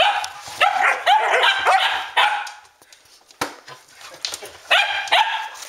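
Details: Standard Poodles at midnight, August 12th 2014, at Arreau Standard Poodles; a few loud barks and yelps in two bursts separated by a quieter gap with soft thuds.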